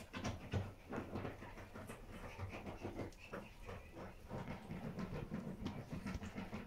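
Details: Morning with Pomeranian mother Bambi and her puppies, deeply relaxed; fast, breathy panting pulses repeat about 194 times a minute in an even, low pulse, unbroken throughout, nothing else clearly audible.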